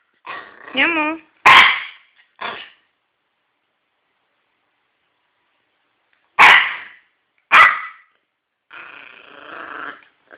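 A Yorkshire Terrier gives short, sharp, high barks spaced seconds apart, with a person speaking.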